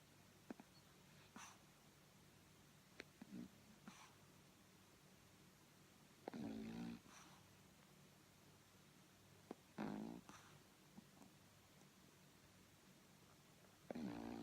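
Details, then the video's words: Boycie, a pug puppy, asleep and dreaming of suckling, lets out three drawn-out, throaty snores spaced about four seconds apart, with soft clicking mouth sounds between them in a quiet indoor room. "Puppy pug snoring and dreaming of suckling."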